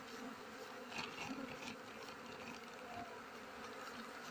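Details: Buzzing honey bees during a honey harvest by a beekeeper, while mango, rubber, kapok, rambutan and coffee trees are in bloom; a thick, unbroken hum with slight swells in loudness.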